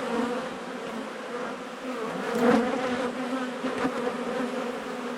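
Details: Honey bees swarming around an opened wall cavity during a colony cutout: even, dense buzzing drone, briefly louder in the middle, with faint rustling.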